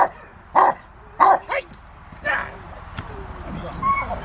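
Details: Willie v Schwarzerwald, a Rottweiler, playing in the rain at the Victoria Rottweiler Club, December 13, 2020, gives a few sharp single barks in quick succession, with people talking in the background.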